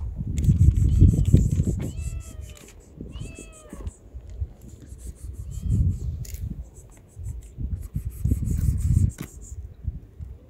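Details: Calico kitten living on the street, being fed: several harmonic meows rising then falling, around two clear ones near the middle, over loud low rumbling and chewing or handling noise.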